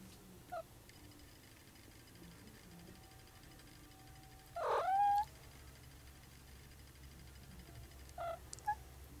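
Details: Sleepy, yawning cat: one drawn-out meow near the middle that rises and then bends into a higher tone, with two short, soft chirps near the start and end over a quiet room.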